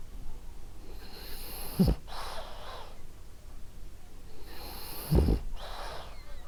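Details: Sleeping female French Bulldog named Ariva gives two gentle snores, each a short low rattling inhale followed by a soft airy exhale, about three seconds apart.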